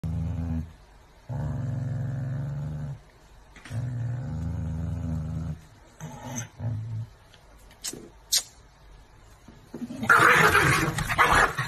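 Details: Chihuahuas growling angrily after their food is taken away: long, low, rumbling growls of about one to two seconds each with short pauses, then a few sharp clicks and a loud noisy burst near the end.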